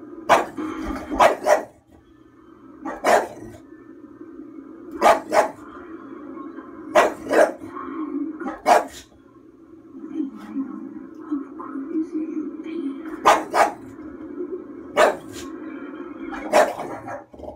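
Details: Female bulldog indoors watching the horror film Crimson Peak, reacting to it as she tries to protect the people on screen. Sharp, loud barks come singly and in quick pairs about every two seconds over a steady droning film soundtrack.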